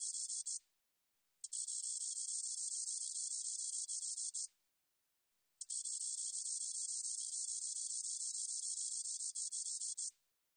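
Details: Spotted meadow katydid song: two extended high-pitched buzzing trills of about three and four and a half seconds, rapid pulsed texture, separated by a brief pause, quiet background otherwise.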